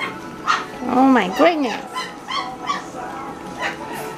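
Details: Great Pyrenees puppies at mealtime: a louder, bending whine rising and falling twice near the start, then scattered thin yips from littermates, with faint music behind.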